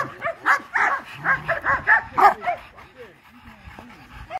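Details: Cane Corso puppy giving a run of about eight short, rough barks in quick succession over the first two and a half seconds, then quieter whimpering and faint sounds.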